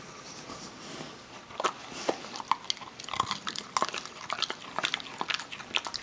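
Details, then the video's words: Parker, a Kerry Beagle, eating almonds indoors; sharp irregular crunches and bites come every fraction of a second, growing denser in the second half, with a faint room hum beneath. "kerry beagle eating almonds"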